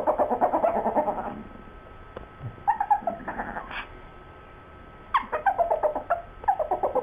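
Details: Two pet dogs, Sue Ellen and Siv, 'talking' about a bone: bursts of quick, choppy, harmonic yips and grumbles, mid-pitched and rapidly repeated, separated by short quiet pauses, the exchange growing more excited.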